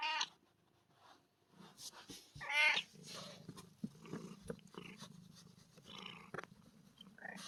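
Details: Kitten Sofia, a rescued stray, playing; one short, bright meow with stacked rising-and-falling harmonics stands out near the middle, surrounded by a low steady rumble, rustling and handling knocks.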